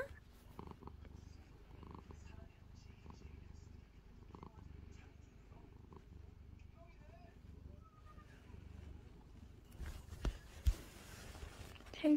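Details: Calico cat named Angttu purring while sleepy, having played with its owner under a blanket; low rumbling purr pulses steadily through the first ten seconds, with soft Korean voices saying good night and a few louder rustles near the end.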